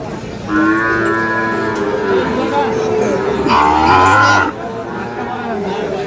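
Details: Sahiwal bull calf at the Ambari cattle market in Parbatipur, Dinajpur, Bangladesh, on 5 May 2025: two long harmonic moos, the first steady and drawn out, the second louder and rising, over market crowd chatter.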